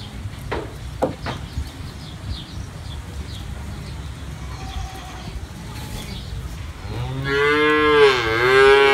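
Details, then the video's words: Cattle, calves and adults: several seconds of quiet rustling and a few knocks, then a loud, deep, drawn-out moo rises and bends in pitch, continuing to the end. "Baby Cows Go Moo Too"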